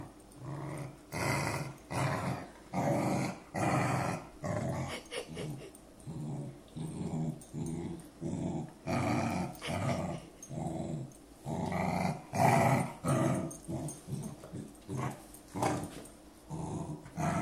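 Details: Saphie, a female dog, doing her own version of purring: soft, throaty growling rumbles in a steady in-and-out rhythm, each pulse under a second and repeated continuously in a quiet indoor room.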